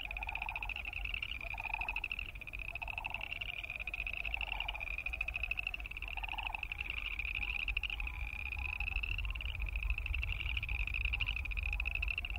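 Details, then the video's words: Boreal chorus frogs calling in a dense chorus: a steady, high, rapidly pulsed creaking trill with no breaks, over a lower pulsing hum that repeats about every one and a half seconds and a constant low rumble. "Boreal Chorus Frog sound"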